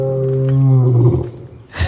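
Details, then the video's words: Lion at a French safari park, its rumble likened by onlookers to snoring; a deep, low, steady drawn-out groan lasting over a second, fading out, followed by a brief human noise at the end. "On entend le lion qui rugit. Viens vite voir."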